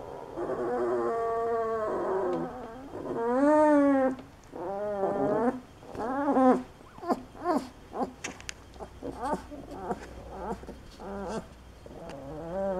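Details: Great Dane puppies giving high, drawn-out whines and whimpers, each rising then falling in pitch, in a run of about a dozen calls that grow shorter and choppier toward the end, with faint low background hum.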